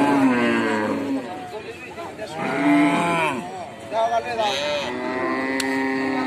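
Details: Cows calling in a series of long, resonant moos, pitch arching up and falling away, roughly every couple of seconds, with overlapping calls and a faint human voice in the background.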